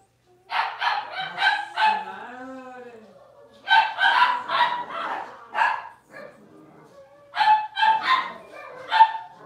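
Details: In a home puppy pen, six-week-old Cavalier King Charles Spaniel puppies of a blenheim litter of five let out clusters of high yapping barks, one trailing off into a long wavering whine, then more barks in short groups.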